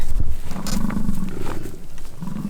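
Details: American bison fighting in rutting season, Peace River Ranch, Fort St. John, British Columbia, Canada: a short, low, rough bellow over heavy rumbling background, with a faint second groan at the end.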